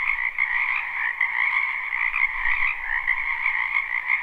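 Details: Frog chorus from a spring wetland, live recording with no looping: countless croaking voices blend into a steady buzzing trill, slightly pulsing in intensity, with a soft low rumble beneath.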